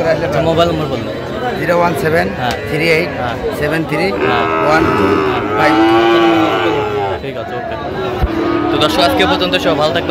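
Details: At a Bangladeshi cattle market on 17 October 2025, a Sahiwal bull calf bought by a Dhaka farmer gives a long, bellowing moo that swells and bends upward midway, followed by a shorter moo, over constant crowd talk.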